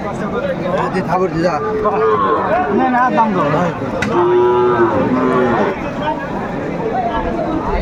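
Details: Cattle market in Kurigram, Bangladesh, selling Sahiwal bull calves, 27 July 2024: several moos rise and fall, including one clear, sustained low moo near the middle, over steady crowd murmur and occasional knocks.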